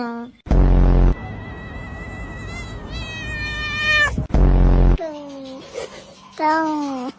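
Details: Domestic cat giving several drawn-out, wavering meows that bend up and down in pitch, with a short pair of falling cries near the end, broken up by two loud, harsh blaring bursts of added sound.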